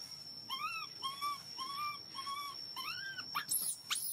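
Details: Baby monkey, hungry and asking for milk, gives loud repeated cries: arched, clear wails nearly two per second, then a few sharper, higher squeals near the end, with a constant high-pitched whine behind.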